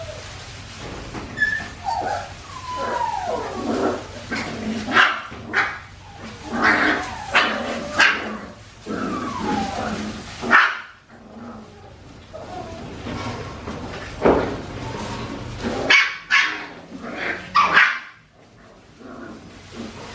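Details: Australian Shepherd puppies aged four weeks and five days, filmed on a baby cam at Fifteen Acre Farms, whimpering and yelping in bursts, with rising and falling high whines and short yips separated by brief quiet gaps.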